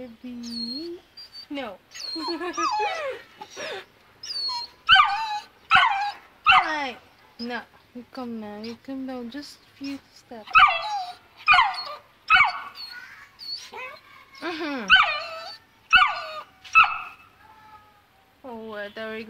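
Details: A Saint Bernard pup of two months, afraid of the stairs, whimpers without stopping: short rising-and-falling whines and yips come roughly once a second, mixed with snuffles, while a person keeps urging it to come.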